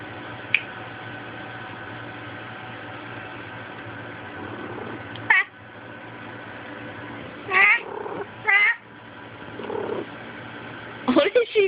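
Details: Kitty, a house cat who tries to kill her own tail roughly every five minutes, recorded on a Sprint Evo phone: scattered sharp cries and strained, yowling meows, clustered in short bursts near the end, over a constant electrical hum.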